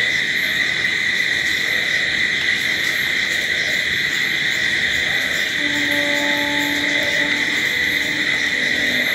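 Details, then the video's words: Continuous shrill trilling of crickets at night fills the background without a break. Midway through, a faint low steady tone and a fainter higher tone sound briefly alongside it. "Sounds of Night Crickets"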